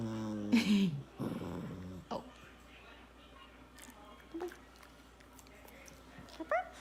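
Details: A Shih Tzu gives a drawn-out, wavering whine that slides downward, like a small dog trying to sing, as its owner coaxes it to sing.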